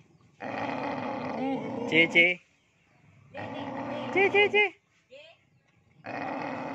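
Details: Fierce male village dogs in breeding season. Two long, gritty growling bouts each end in a quick run of sharp, high yelps. A brief whine follows before a third growl starts.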